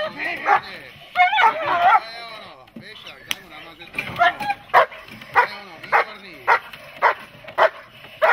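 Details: A dog in protection training barks amid Czech handler speech, then settles into steady single barks roughly every half second toward the end.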